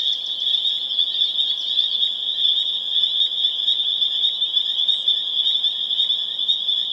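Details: Dense chorus of spring peepers in Harvard, Massachusetts, April 27, 2011: countless shrill high peeps fused into a steady, ringing, near-unbroken drone at full intensity.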